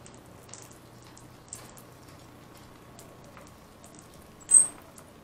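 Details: Bubba, a round-tailed ground squirrel ready for hibernation, utters one brief piercing high-pitched whistle near the end, preceded by faint clicks and soft rustling noise.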